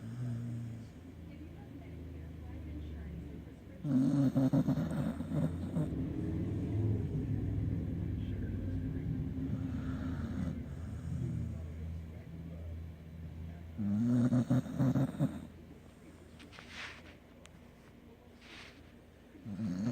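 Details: A sleeping dog snores in deep, rumbling breaths that rise and fall in uneven bursts, with human voices and low background noise around it.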